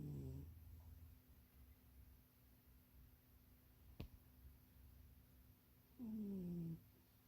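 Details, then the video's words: Munchie, a house cat napping in a box too small for it, gives one falling, raspy snore at the start, then near-quiet broken by a soft click, before another low, descending snore near the end. "Munchie kitty snoring and dreaming"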